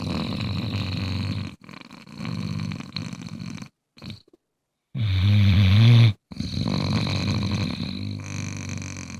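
A Bluetick Coonhound snores in deep, rumbling bursts with brief pauses between breaths.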